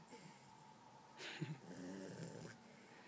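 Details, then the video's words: Sleeping female Dachshund, dreaming, snoring: breathy, noisy rasps swell from about a second in, with a louder rough breath midway and a softer drawn-out exhale after, over a steady faint background hum. "SNORING DOGGY!!!!"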